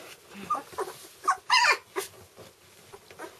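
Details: Red standard poodle puppies, two weeks old, eyes just opening, in an indoor litter: scattered soft whimpers build to two louder high squeals near the middle, then fade to faint snuffles.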